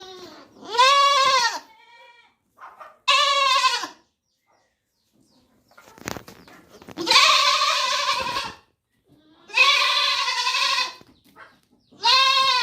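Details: Young goat kid bleating loudly, five long wavering baa calls with rich harmonics spaced roughly every two to three seconds, separated by short quiet gaps and one sharp click near the middle.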